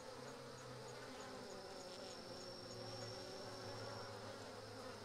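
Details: A mass of Japanese honey bees attacking a Japanese hornet in a cooking bee ball drone continuously, while a faint, rapid high ticking repeats over the top and a low hum sits underneath.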